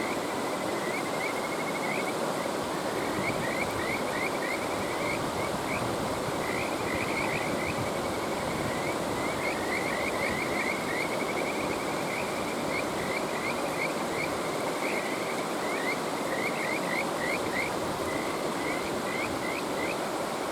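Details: Continuous chorus of Kajika frog, high trilling runs of quick rising notes nearly unbroken across the recording, layered over loud, steady rushing water from a stream.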